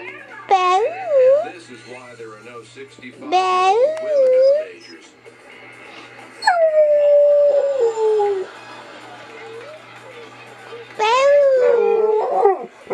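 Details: Female pet dog howling, encouraged by her owner: four wavering, sliding tonal howls, each lasting one to two seconds and dipping and rising in pitch, separated by quieter gaps, with a person's voice also heard.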